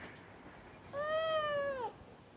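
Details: Pet cat meowing while a young girl plays with it at home; one drawn-out, clear meow lasting about a second, holding level then sliding down at the end, rich in overtones, over a faint steady background hiss.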